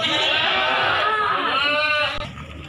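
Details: Goats, breeding does and kids, at Silir Semanggi animal market in Solo, Indonesia: one long wavering, quavering bleat lasting about two seconds, then fading into market chatter.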